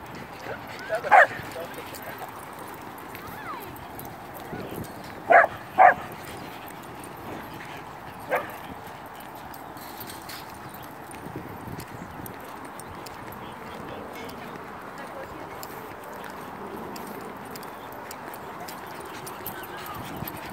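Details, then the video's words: Welsh Corgi herding other dogs on the run, showing its cattle-herding instinct; a few sharp single barks and a quick pair of barks over a steady background hum, with voices nearby. "Corgi Herding other dogs"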